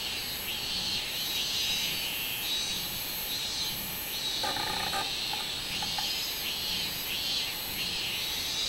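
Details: Robust cicada (minminzemi) singing on 24 July 2016: a high, buzzy pulsed drone rising and falling in regular beats about every half second, with a brief lower tonal chirping sound near the middle.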